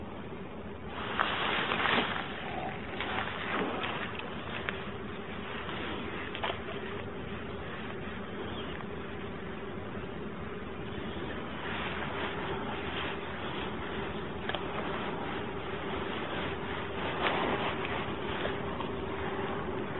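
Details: Common wasps swarm and attack an angler lure fishing beside their unnoticed ground nest; a steady low droning buzz runs throughout, buried under dense broadband rustling and outdoor noise, with brief louder bursts near the start and end.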